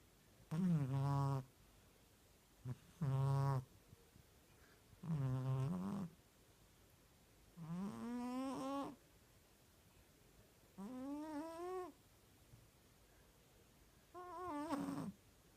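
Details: Sleeping house cat snoring at a grandmother's home where only the cat was present; loud, buzzy, voiced snores roughly every two to three seconds, some rising in pitch toward the end, quiet room between breaths.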